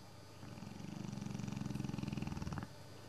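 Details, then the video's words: Old male English Bullmastiff asleep on a Sunday afternoon, snoring heavily and flapping his jowls: a low, rattling snore of rapid fluttering pulses that swells for about two seconds, then stops abruptly in a quiet room. "Snoring Bullmastiff"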